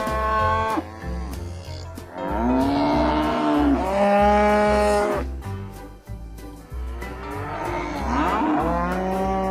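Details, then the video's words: Cattle moos, loud and harmonic, swelling then dipping in pitch, three or four calls spaced a few seconds apart, with background music, bass and percussion underneath. "SOM DOS BOIS"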